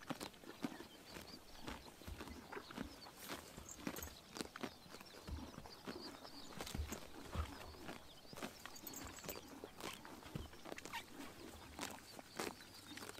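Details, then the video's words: Horses biting grass in the morning sun in summer in Mongolia: dense, irregular crisp tearing and crunching snaps, several per second, with faint outdoor ambience and occasional soft chirps in the background. "The sound of horses biting grass in the morning sun"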